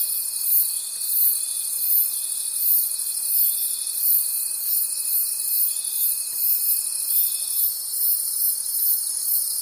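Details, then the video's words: Crickets at night in a forest: a dense, high, continuous chorus of shimmering trills that pulse in soft waves about every 0.7 seconds, with a thin steady tone running beneath for most of the stretch. "Forest Sounds and Cricket Conversations at Night"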